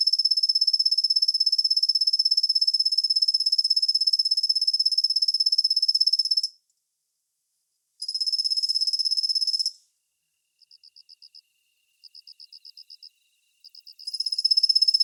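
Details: Kusa-hibari cricket (Svistella bifasciata), a gentle-sounding singer that calls mostly from dawn through the morning: long high shimmering trills of rapid pulses, broken by pauses and short clipped pulse bursts before the trill resumes.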